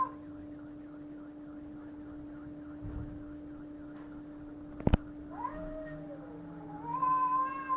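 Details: Cats fighting: after a sharp knock, a rising yowl breaks out and slides downward, followed by a louder, strained wail at the end, with a low growl and steady hum in the background.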